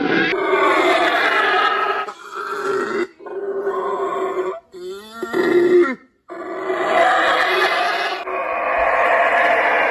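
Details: Monkey calls from a collection of strange primate sounds: harsh, harmonic wailing and grunting in separate bursts broken by short gaps, with one wavering, rising-and-falling whine near the middle.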